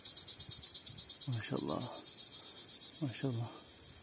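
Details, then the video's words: Male cricket calling to attract females by rubbing its wings together: rapid, shrill, high pulses that gradually soften, overlapped by two short bursts of human speech. "Cırcır Böceği Nasıl Öter?"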